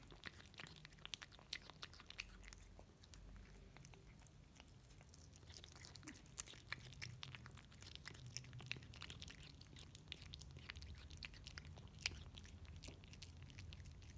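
A Russian Blue cat chews wet food with soft, wet clicks and crunches in quick, uneven bursts.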